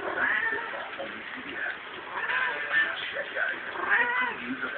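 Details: A house cat in heat caterwauls with rising-and-falling yowls, two clearer calls late on, partly buried under steady conversation from people in the room.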